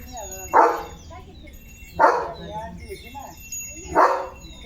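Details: Leo, a pet German Shepherd, barking during lively morning play at home: three loud, broad single barks spaced about one and a half seconds apart, with quiet background sounds between them.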